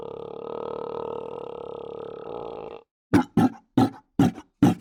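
A Cape fur seal gives a long droning moan, then a quick run of harsh, choking grunts.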